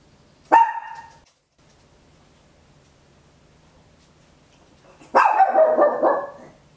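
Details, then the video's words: At home, a small Papillon barks very loudly, recorded on an Olympus LS-11 in stereo: one sharp high bark, a long quiet gap of four seconds with faint low hum, then a longer harsh, wavering bark. "Tiny Dog Barking Very Loud, Papillon"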